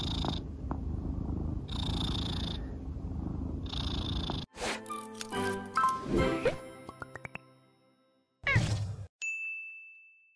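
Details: Pet cat Soonmoo purring in the morning, following her owner around like a dog before he leaves for work; a steady low rumble with rhythmic breathy pulses for about four seconds, then background music, chimes and a ding take over.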